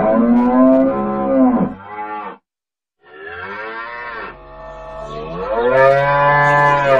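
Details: Cattle mooing: a strong held low, a brief silence, then a rising moo that swells into a long loud bellow.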